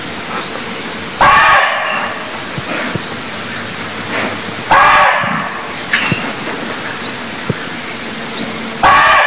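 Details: Barking deer from Cambodia giving short, harsh, explosive barks, three loud bursts spaced about three to four seconds apart, over a steady background of thin rising bird chirps and insect hum.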